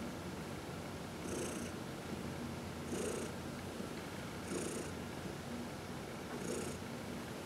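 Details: Massaged house cat purring, one of four; even low purr punctuated by hissy inhalations spaced about one and a half seconds apart, otherwise quiet indoor setting.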